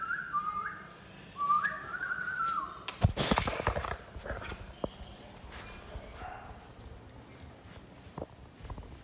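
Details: Two-month-old American Pit Bull Terrier puppy at play gives a few high, thin whimpering whines over the first two seconds, each sliding slightly downward. A loud crash or thump follows, then scattered taps and knocks.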